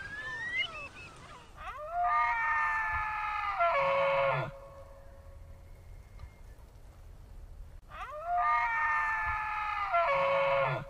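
An elk bugles twice, each a long, high, whistling call with a strong harmonic ring that holds steady for about two seconds, then drops, with a quiet gap between.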